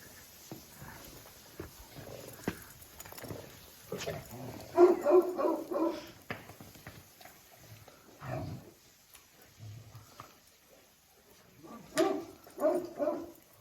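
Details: Bursts of harsh, harmonic growling barks from Jack Russell Terrier Oscar, in three separate outbursts, the loudest near the middle and the last at the end, with faint human voices and knocks between them.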